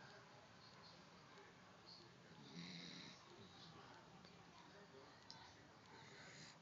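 A sleeping dachshund gives low, rasping snores, the loudest swell coming a few seconds in. The breaths are quiet and partly buried in room hiss, with a hint of a human voice nearby.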